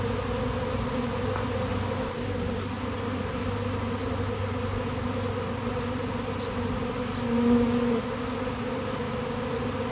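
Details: Swarm of honeybees on a nice-weather day, landing on a basketball hoop; a dense, steady, low droning hum of countless wings, unbroken throughout, with a brief louder swell near the end.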